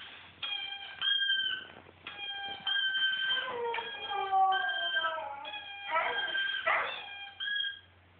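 A Siberian Husky howls in long, clear, drawn-out notes that waver and slide downward.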